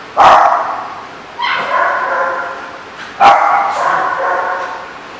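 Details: Dog barking at The Barking Lot on 7/11/14: three harmonic barks spaced about one to two seconds apart, each with a sharp onset and a fading, slightly whiny tail.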